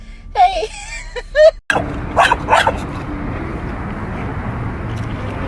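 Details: Pet dog in a funny home compilation, giving a short series of high, wavering whines and yelps over about a second and a half, followed by a sharp knock and a few fainter yips against room noise.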